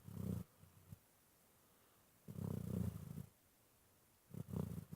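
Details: Sleeping dog snoring, said to sound like purring: short, low, rattling rumbles, one brief, one longer about a second, then another starting, separated by quiet pauses.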